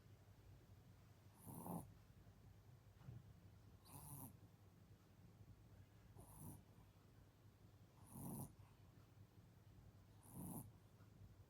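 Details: Black and tan Chihuahua snoring during a nap, slow rasping breaths roughly every two to two and a half seconds, each with a brief hissy upper edge, quiet background hum between breaths.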